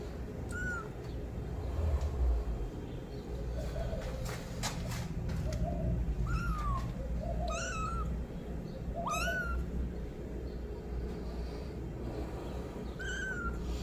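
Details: Kitten meowing loudly for its mother: repeated short, high meows, some rising sharply, others bending down, mixed with softer lower mews, roughly every second over a rumbling low background hum.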